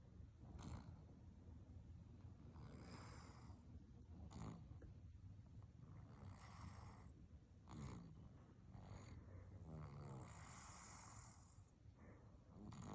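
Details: Azuki, a black cat and rescued former stray, snores while asleep. Low rumbling breaths repeat about every three to four seconds, each ending in a soft hissing, airy exhale.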